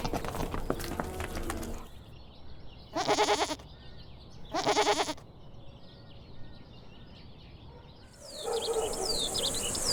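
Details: Goat giving two short, tremulous bleats about two seconds apart. They sound over a noisy background, with a jumble of sounds at the start and a hissing burst near the end.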